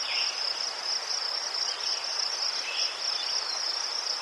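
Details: Ukrainian crickets giving a bright, unbroken high-pitched trill of fast pulses, with brief lower chirps breaking in a few times.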